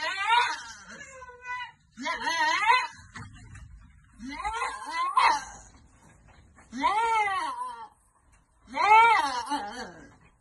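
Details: Goats on a farm while being given vitamins: five loud, wavering, nasal bleats about a second long each, quavering up and down, separated by short pauses, in a small enclosed space.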